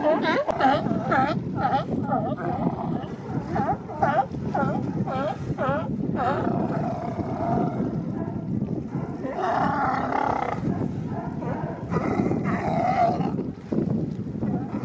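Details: Male sea lions establishing mating territories along the Coast Guard pier in Monterey Bay, a crowd of them barking continuously: overlapping hoarse, harmonic barks repeated in quick bursts over a steady low rumble of many voices.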